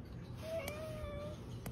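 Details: A domestic cat utters one thin, steady, fairly quiet meow lasting about a second, over low room noise with a couple of soft clicks.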